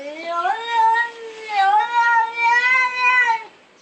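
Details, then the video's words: A domestic cat gives a long, drawn-out, wavering yowl, an unsettling cry made when in pain, scared or stressed, especially common in older cats confused or anxious at night. "A yowl is a long drawn out cry that can sound a bit unsettling, especially in the middle of the night."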